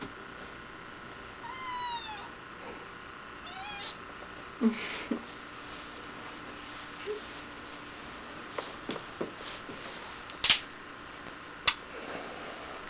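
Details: Kitten giving two short, high, quivering meows about two seconds apart, followed by scattered clicks, knocks and a steady background hum.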